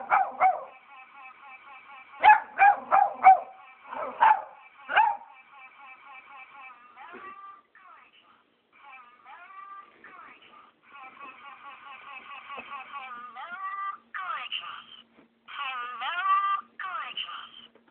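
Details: A Cavalier King Charles Spaniel gives a burst of short, sharp barks at an Alvin the Chipmunk toy from McDonald's, whose high, squeaky, sped-up singing voice plays underneath.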